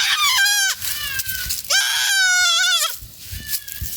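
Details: Forest-browsing goats bleat loudly, with a short wavering cry followed by a long tremulous one, then faint rustling as the calls end.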